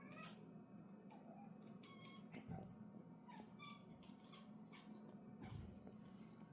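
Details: Domestic kittens indoors playing with a fishing rod toy with a fish, recorded December 20, 2024, one chirping at the toy: short, bright chirps with stacked harmonics, several in quick succession, over a steady low room hum with toy clicks and taps.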